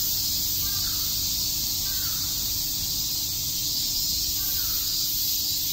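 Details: Cicadas chirping in Shakujii Park, Tokyo, on a summer day: a constant, piercing high-pitched drone, over which a few faint, short, lower calls sound at intervals.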